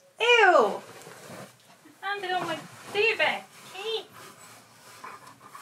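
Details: Indoor Siberian Husky vocalising because it wants to play: a sharp descending whine-howl opens, followed by several wavering, arched talking calls, with a person talking quietly in the background.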